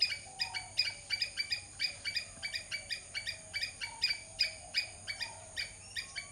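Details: Rapid squirrel chattering: short, harsh, bright chucks repeated nearly three times a second in irregular bursts, with a low faint whistle sliding beneath the calls.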